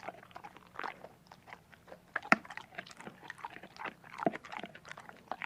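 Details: Dog chewing food indoors, a close series of dry crunches and softer wet mouth clicks with a few loud bites standing out, and a low background hum.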